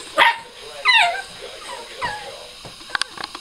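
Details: Blue Staffordshire Bull Terrier puppy crying after failing to act tough with older dogs: three high, wavering whines that rise then fall, the last softer, followed by a few sharp faint clicks.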